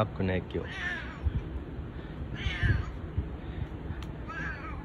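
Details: Husky meows from Bu-chan, the boss cat, affectionate and rubbing up to a person when other cats are absent; three hoarse, falling meows spaced about two seconds apart, with low thumps and handling noise beneath.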